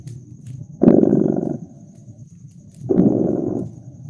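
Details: Purring cat close by a fireplace on a cozy winter night: two strong buzzing swells of purr, each under a second, with a low soft purr between and a brief crackle from the fire.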